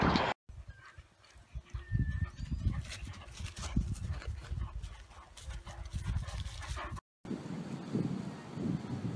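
A large Irish Wolfhound gives deep, low barks and gruff vocal bursts.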